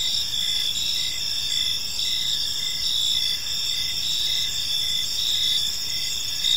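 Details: A steady evening chorus of crickets in a park: bright, high-pitched trills stacked in several bands, pulsing rhythmically with little change in loudness, and soft background hiss beneath.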